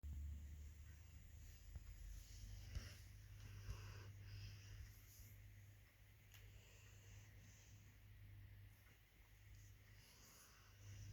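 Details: Three sleeping female Labradors cuddled together snore and wheeze softly in low, uneven breaths over a steady low hum, with a few brief rustles.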